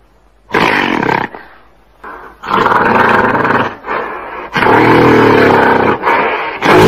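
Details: Gorilla roaring: long, rough, deep, broadband roars lasting up to about two seconds each, separated by brief quieter breaths, with the loudness staying high throughout.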